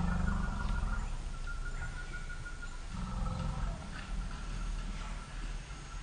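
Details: African elephants, the females Pia (about 40) and Noor (about 38) with their two-year-old calves, startled by a sitatunga leaping from bushes and huddling together; deep continuous rumbling with louder surges, a steady high tonal note running across the clip.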